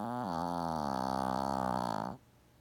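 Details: Gaku, a Shih Tzu in deep sleep, lets out one long, loud, buzzy snore that lasts about two seconds, rich in harmonics and slightly wavering, then stops abruptly into near silence.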